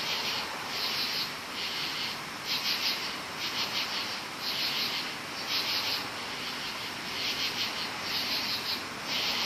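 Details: Night chorus of many crickets in woods: shrill, buzzy pulsed bursts repeated roughly once a second, layered over constant high-pitched insect hiss.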